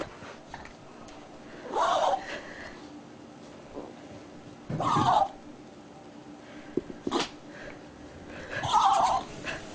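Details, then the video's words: Toy poodle sneezing after playing with a centipede: three or four short, sharp bursts of sneezing spaced a few seconds apart, with quiet room background between them. "Toy poodle sneezing after playing with centipede"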